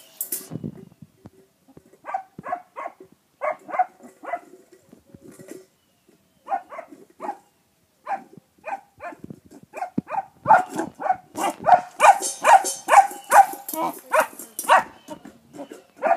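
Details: Jet, a foster puppy in Bulverde, barks at a rock beneath his bowl; short bursts of quick yappy barks with pauses, growing denser and louder in the final seconds.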